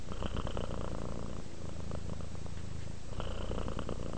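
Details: Relaxed house cat purring, low continuous rumble pulsing in two long breath cycles, inhale and exhale phases clearly alternating.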